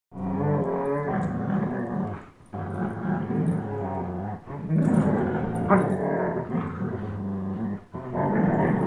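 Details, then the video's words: Two young dogs, a 10.5-month-old German Shepherd named Chase and a one-year-old Old English Sheepdog named Blizzard, growling while playing tug of war; low rumbling growls in long bursts of one to two seconds with short pauses between. "Old English Sheepdog vs German Shepherd tug of war"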